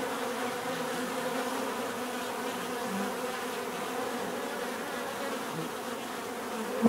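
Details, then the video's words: Bees droning in a constant, dense hum, layered tones holding level throughout, ending with a sudden close pass of a single bee. "bees therapy relaxing natural buzzing sound"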